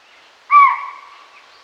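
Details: A chital (spotted deer) gives a single shrill, hooting alarm call that fades away quickly, over a subtle forest background.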